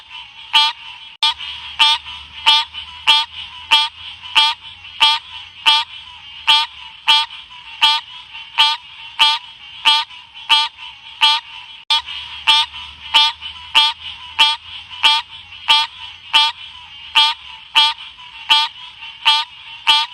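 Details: Ếch Xanh (Odorrana livida) calling in a long unbroken series of brief pulsed, grating chirps, spaced roughly 0.65 seconds apart with near-metronomic regularity; constant soft hiss and a faint low hum at times.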